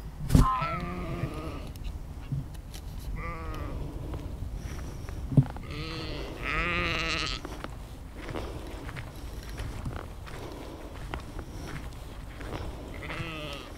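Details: Sheep in a 360-degree spatial field recording made outdoors with an Insta360 X3 and Zoom H2n; scattered quavering bleats, some faint and distant, over steady low rumble, with a couple of sharp clicks.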